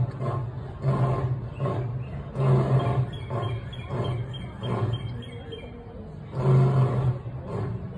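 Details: A lion at the National Zoo roars in deep, booming bursts that come again every second or two.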